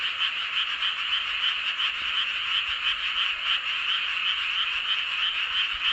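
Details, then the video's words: Many frogs calling together under a full moon in Seowon-myeon, Hoengseong County, Gangwon Province, South Korea; a dense, continuous high trilling chorus with rapid overlapping croaks, about three pulses per second, steady throughout. "보름달 아래 개구리들의 합창"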